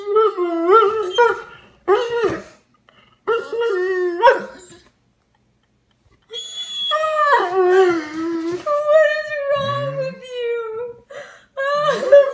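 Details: Tired Dobermann dog, seemingly wanting to go to bed, giving drawn-out moaning howls with rich harmonics. Pitch wavers up and down through several separate bursts, with a brief silent gap midway before a longer, sustained wail.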